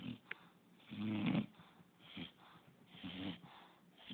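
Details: English Bulldog Pup snoring unevenly, a short sharp snort followed by a gurgling, wheezy rumble and several softer rasping breaths.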